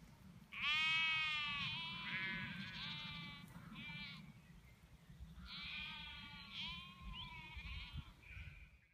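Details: Cotswolds sheep calling, a loud quavering baa followed by shorter trailing bleats, a pause, then another long wavering baa and a brief final call, with faint background hum.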